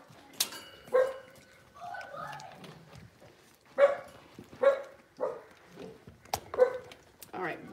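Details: Seven-week-old Cavalier King Charles Spaniel puppies from Robin's litter, on a sunny fall Thanksgiving morning, give short pitched yelps spaced a few seconds apart, with a person's voice and some household sounds in between.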